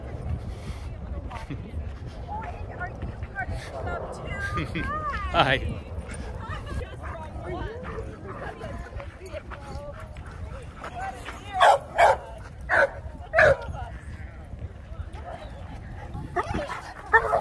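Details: Excited dogs at an Old English Sheepdog get-together at Grape Street Park, San Diego, on a warm afternoon in the holiday season. High wavering whines and yips run beneath steady human talk, then three sharp barks in quick succession near the end.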